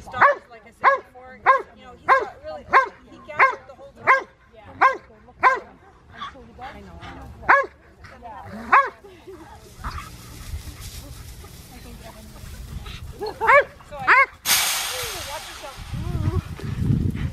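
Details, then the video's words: While herding sheep, Monty the Old English Sheepdog barks in a fast steady series, about one every 0.6 seconds for nine seconds, then goes quiet before a few more barks amid wind rumble and voices. "Monty Old English Sheep Dog Herding Sheep"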